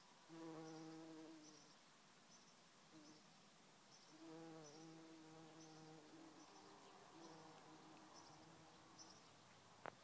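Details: A great yellow bumblebee (Bombus distinguendus) in a Scottish garden in summer gives a low droning flight buzz that swells and fades as it visits flowers, especially red and white clover.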